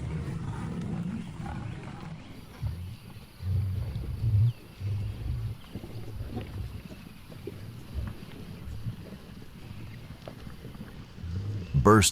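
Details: Lion from a pride on the African savanna, heard as a run of low, throaty grunting pulses in uneven bursts, fading between groups, with a sharp noise burst at the very end.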